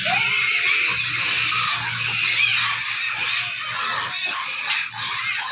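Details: Pig. Several pigs squeal at once, a shrill, rasping din that barely lets up for the whole stretch. These are hunger calls, the noisy clamour pigs raise while waiting to be fed.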